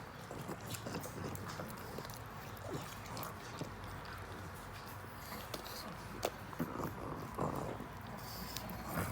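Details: Pug snacking on a treat, soft chewing clicks and snuffling breaths running through nine seconds, with a few louder crunches around six and seven seconds over a low background hum.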